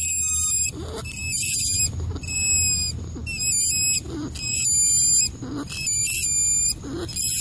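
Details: A rat squealing: shrill, high, harmonic-rich squeaks in bursts of about a second, repeated with short gaps, over a steady low rumbling background noise.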